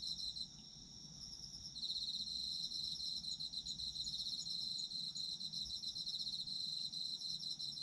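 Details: Night-like chorus of autumn insects for sleep: thin continuous high ringing, joined after almost two seconds by a loud, fast-pulsing chirp trill that keeps going steadily, with faint low rumble underneath.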